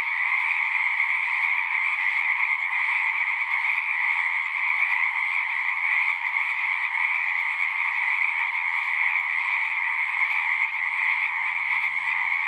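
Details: Frogs singing in a dense, continuous chorus, a steady shimmering wall of overlapping croaks with bright bands near one and two thousand cycles, unbroken throughout with no other clear sounds.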